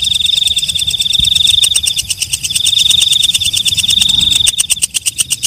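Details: Night singing of walang kecek, the night bush-cricket: rapid metallic ticking pulses with a sustained high ringing tone, the pulses quickening and growing louder toward the end, over a soft low background hum.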